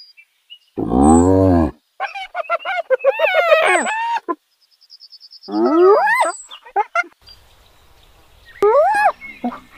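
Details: Hyenas in Kruger National Park, South Africa: a low harmonic moan lasting under a second, then bursts of rapid, wavering, staccato giggling notes that rise and fall, with short silent gaps and a final sharp cry.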